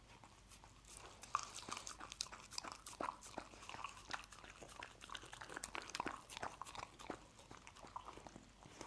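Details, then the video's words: Dog eating scrambled egg, with dense crunching and smacking bursts in quick irregular succession, louder and busier in the second half. "Dog Eating Egg Scramble"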